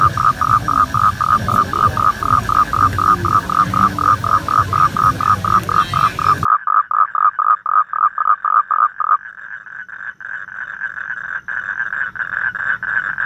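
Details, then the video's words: Toads mating produce a long train of short, evenly repeated mid-pitched croaks, about two and a half a second. A sudden cut leads to a cleaner, slightly higher buzzing run of pulses. "Tiếng Cóc Kêu"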